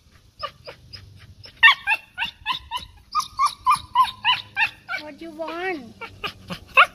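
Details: Cocker Spaniel chasing birds and squirrels out of a backyard: a rapid run of sharp, yappy barks about four per second, then a wavering whine before one final bark, with faint talking in the background.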